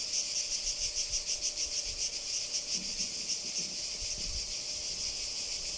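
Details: Singing cicada at Kardamyli in 2013, a dense high buzzing chorus pulsing about three times a second, with a steady faint hum and occasional low rumbles beneath.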